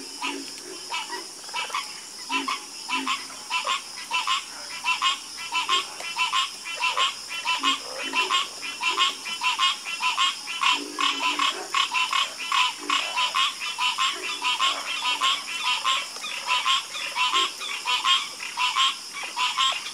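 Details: A chorus of frogs croaking without pause: dense, rapid trains of rasping, pulsed croaks overlapping one another for the whole stretch, over a constant high background hiss.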